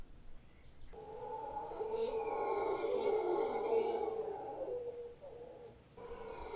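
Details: Howler monkeys in Guanacaste, a big troop occupying a tree beside a property, roar together in a sustained, throaty drone that swells after the first second, holds for about four seconds, and then breaks off before rising again.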